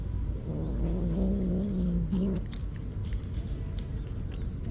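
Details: Stray cat protecting its food grumbles in a drawn-out low growl of nearly two seconds that rises slightly and ends in a short clipped mutter, then quiet background noise.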